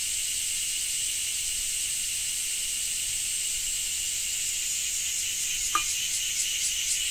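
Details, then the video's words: Cicada in Japan: a steady, dense high-pitched buzz fills the clip, with faint pulsing appearing near the end and a single brief click. "Japan Rain Sound 5of3 - Cicada 3"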